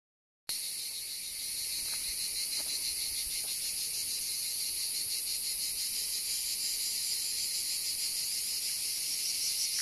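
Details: Cicadas at Kastanies, Greece, recorded 21 October 2023: after a brief silent start, a continuous shrill, high buzzing chorus throbs about three times per second, with a few faint clicks early on.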